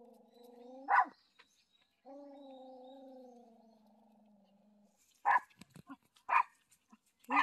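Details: On a familiar walking trail, dogs Galchi and Jandi recognise their dad, home after a week in hospital, and bark unusually; a sharp bark, a long sustained whine, then several separate barks with small scuffling noises.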